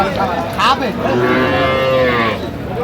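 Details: One long Sahiwal bull calf moo that swells and then holds, amid other calves at a Mymensingh cattle market, Bangladesh, 11 October 2025, with a brief higher cry and faint market voices behind.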